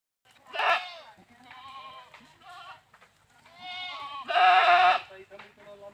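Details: Goats bleating repeatedly: a sharp loud bleat, several quavering nasal calls with clear harmonics, and a final loud harsh drawn-out bleat near the end.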